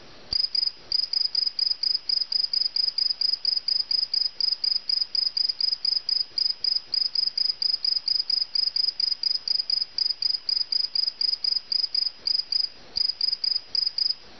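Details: Indoor-caught cricket calling close up: rapid, regular high chirps repeated several times a second for a long unbroken run, with a short gap near the end.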